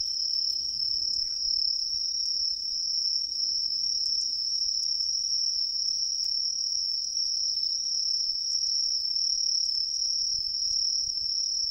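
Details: Autumn tree cricket in riverside woods, giving one continuous high, ringing trill that never pauses, over a quiet background.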